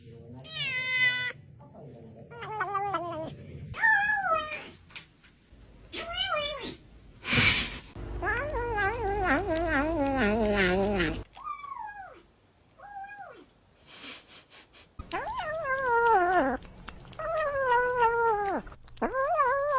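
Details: Domestic cat vocalizing while eating indoors: a series of short, wavering, rising-and-falling meows and chirrups, some drawn out, with a brief loud burst of noise midway and quiet gaps between calls.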